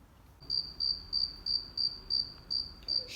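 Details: Crickets chirping on a summer day, played for young children to guess nature sounds: a steady high pure chirp pulsed about three times a second, eight even bursts after a quiet start, room hush beneath.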